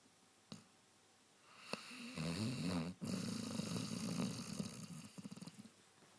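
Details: Basset Hound Clive asleep, after a few faint clicks, breaks into a long, vibrating, growly snore over about three seconds, a sharp pause, then another rattling snore ending in stuttering pulses.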